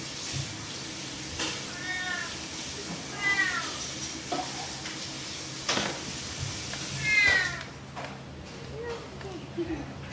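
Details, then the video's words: Playful cat meowing three times at uneven intervals, each call bright and arched, mixed with sharp clicks, rustling and a brief low murmur of voices. "Mèo kêu meo meo Chú mèo tinh nghịch Tiếng mèo kêu"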